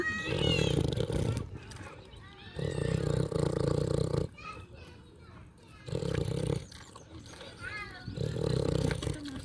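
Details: Pig eating and snoring: loud, low rasping breaths of one to two seconds, repeated with short quieter gaps, while thin high squeaks and chirps flicker above them.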